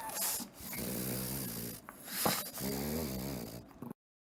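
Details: Komugi, a female pug filmed in Kofu, snores while asleep: low rumbling, harmonic snores rising and falling in long breaths, with a brief sniff between them in an indoor room.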